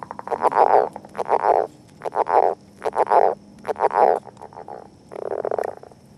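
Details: Northern leopard frog calling at an egg mass during courtship, rapid grating croaks grouped in snoring pulse bursts about every second, with a longer rattling burst near the end.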